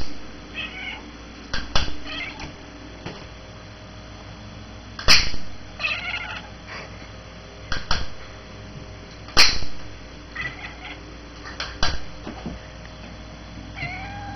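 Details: Ruby, a six-month-old female Bengal cat, makes strange chanting noises indoors while playing with a red laser light as the lid of the light box closes. Short, wavering, harmonic chirps come in scattered bursts between sharp clicks and knocks.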